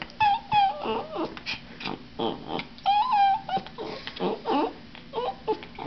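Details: Puppy whining while being shaken, indoors: thin, level whistled whines alternate with short grumbling, warbled yelps, about three sounds a second, with faint voices in the background.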